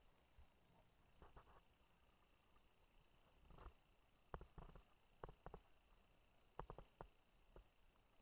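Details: Buerger's tree frog calling in soft bursts of sharp clicks, grouped in short runs of two to four around the middle and end, against a quiet, faintly hissing background.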